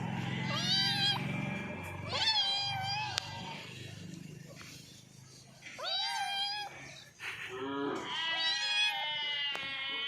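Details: Cats meowing while eating, bursts of bright meows with sharp pitch bends, separated by quieter gaps, over low background noise.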